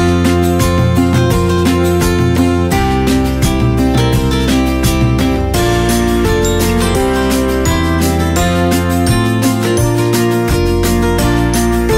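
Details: Loud guitar-led background music plays throughout, with no animal voice.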